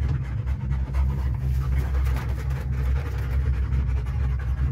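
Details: German Wirehaired Pointer riding in a cable car, panting with its tongue out: rapid rhythmic breathy huffs repeating several times a second over a loud low mechanical hum from the cable car.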